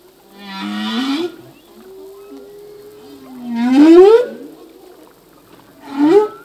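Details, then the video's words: Humpback whale male singing in the sea: a long low hum slides into a loud upward-swooping cry near four seconds, framed by shorter rising whoops with rich overtones, all in quiet water. "Whale song - full length humpback whale song"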